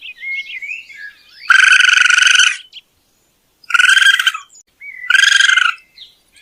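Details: Raccoon calls: three rapid, pulsed, churring bursts, the first longest at about a second, with soft high whistled notes before and between them.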